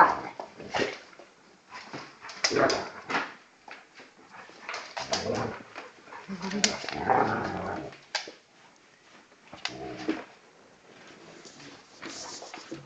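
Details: Two dogs play fighting, a 10 kg Old English Bulldog puppy and a 40 kg male Bullmastiff cross: scattered short grunts and a stretch of rough, throaty growling in the middle, with bursts of scuffling and some human voices.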